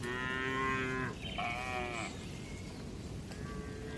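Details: Tame cattle, one of dozens relaxing calmly in a spacious farm barn, giving a drawn-out harmonic moo for about a second, followed by a shorter, wavering moo and quieter lowing over steady barn background noise.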